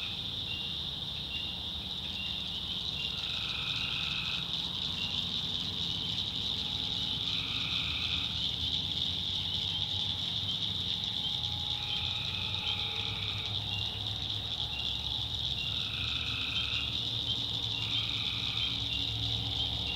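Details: Night chorus of tree frogs in North Carolina backwoods, short droning calls recurring every few seconds from several callers against an unbroken high-pitched buzzing drone and a low background rumble.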